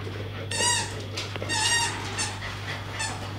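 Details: Two young English Staffordshire Bull Terriers play together, chasing each other and tugging on toys. High, strained whines with bright overtones come in bursts about every half second to a second, rising then sliding down, over a steady low hum.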